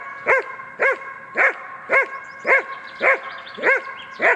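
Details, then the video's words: Trained German Shepherd performing the hold-by-barking exercise against a decoy at the handler's order; eight clear, forceful barks, evenly spaced about half a second apart, nothing else audible. "Удержание нарушителя облаиванием"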